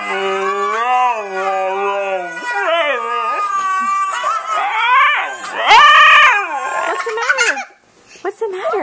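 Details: A male Siberian Husky, normally very quiet, howls and 'talks' along with his favourite video of other huskies howling, in drawn-out, wavering notes that swoop up and down in pitch.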